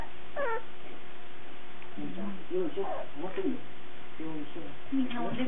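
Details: Cardigan Welsh Corgi puppies recorded on 17 March 2008, indoors: several short high whines and squeals with rising and falling pitch, scattered across a few seconds, over a steady background hum.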